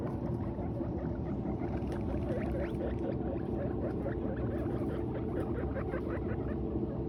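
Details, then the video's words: Guinea pigs eating hay, giving short squeaky chirps in quick repeated bursts, with a few brief rising squeals in the middle, all over a steady, dense low-pitched background noise. "Guinea Pigs Sounds Making Noise While Eating Hay"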